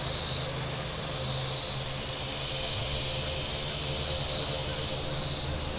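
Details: On a hot Saturday at Table Rock Lake, southern Missouri, shoreline cicadas give loud, high, sizzling buzzes that pulse roughly every 1.2 seconds over a steady low rumble of passing boats.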